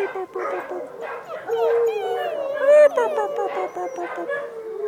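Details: A litter of Dachshund pups with their mother, August 2011, keeps up a steady jumble of thin whining and yipping, with drawn-out wavering whines and a brief louder squeal midway.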